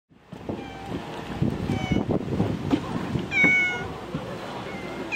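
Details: Cats on Japan's Cat Island, with two drawn-out, harmonic meows rising above a noisy, rustling background and a steady low rumble.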